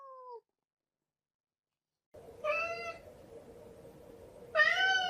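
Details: Domestic cat giving two drawn-out meows, the second louder and slightly rising, over a steady low indoor hum, after a brief falling tone and a pause of silence.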